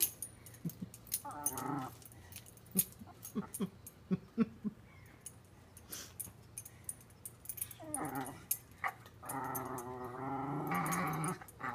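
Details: Shiloh, a Welsh Terrier, playing with a water bowl, growls in two stretches of wavering, harmonic, grumbling voice, with clicks and splashes of bowl play scattered between and a brief laugh at the end.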